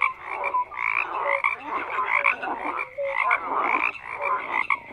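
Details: Frogs croaking in a thick overlapping chorus, bursts of rough rattling calls swelling and fading, with a few clear whistled notes mixed in.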